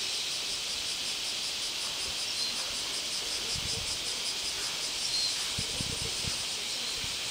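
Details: Bear cicada in Kyoto, Japan, starting up again as soon as the rain stops: a loud, dense, hissing 'shawa-shawa' buzz, steady throughout with a fast pulsing shimmer and no pauses.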